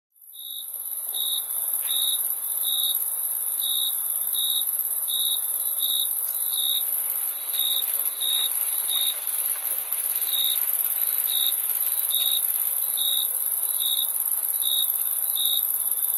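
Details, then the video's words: Crickets chirping on a summer night: short, shrill high-pitched pulses repeat steadily, a little over one per second, over a continuous very high hiss from many more distant insects. "Crickets Chirping Sound Effect"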